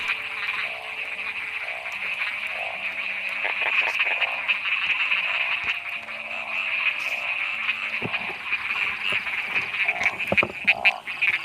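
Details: Many narrow-mouthed frogs calling during heavy rain while people hunt them by torchlight to catch and boil: a dense, steady chorus with a high buzzing wash, lower pulsed croaks repeating underneath, and scattered clicks and knocks.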